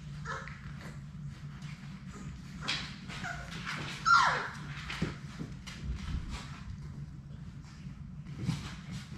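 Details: Sadie's six young Labrador Retriever puppies at play indoors. One pup lets out a loud, quick yelp that drops in pitch, followed by scattered soft whimpers among tumbling, scratching and a constant low hum.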